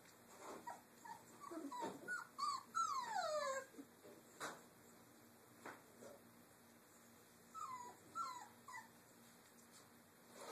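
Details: Several three-week-old Doberman puppies playing in a cage area produce repeated high whines and yelps that slide downward, in clusters with pauses, plus occasional clicks.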